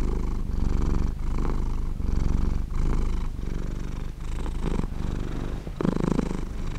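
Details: A cat purrs as it sleeps, low throbbing rumble in repeated breath cycles of about a second each, with some slightly brighter, rougher inhalations near the end.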